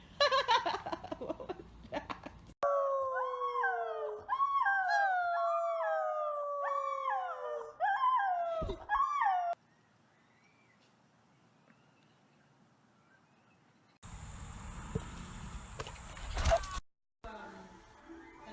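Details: A dog howls and whines in a run of about seven high, wavering, harmonic cries that rise and fall in quick succession, then near-silence, and finally a brief burst of loud broadband noise.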